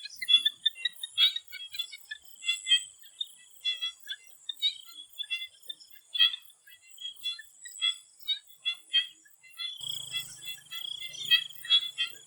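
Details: Swamp frogs calling before sunset in Thailand, a dense chorus of short pulsed croaks around the mid-high range, many overlapping callers, with a steady high insect-like hiss throughout.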